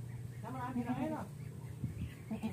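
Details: Goat with an infected navel and stiffened legs, under treatment with antibiotic injections, lets out a single quavering, wavering bleat under a second long, followed by a man talking over a low steady hum.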